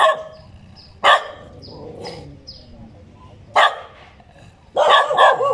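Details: Dog letting out single loud barks spaced over a second apart, ending in a rapid run of several barks, with faint high descending chirps between them.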